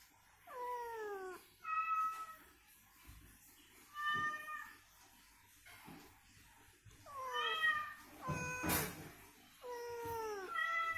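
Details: Recovering house cat trading calls with a played cat voice, meant to get it moving and vocal. Meows alternate: long, falling, bending cries and steadier, flat-pitched mews, each a second or so, with one sharp knock partway through.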